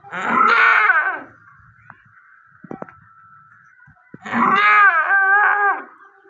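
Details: Goat giving birth to a kid: two loud, drawn-out, wavering bleats, each about a second long and rich in harmonics, separated by a quieter gap with a few faint clicks and knocks.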